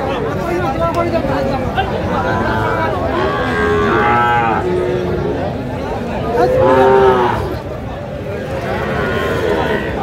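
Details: Sahiwal bull calves at a crowded cattle market in Cumilla on 19 April 2025, bought by a local farmer: two drawn-out, harmonic moos a few seconds apart, over a dense murmur of crowd chatter and market noise.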